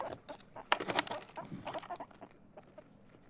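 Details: Chip the guinea pig, excited about playing Among Us, lets out a brief burst of quick clucking notes, loudest in the first second and then trailing off into softer, uneven pulses.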